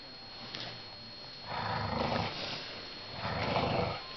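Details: Eighteen-month-old English Bulldog indoors battling a hooded sweatshirt, giving two rough, throaty growls, each lasting about a second, over steady room hiss.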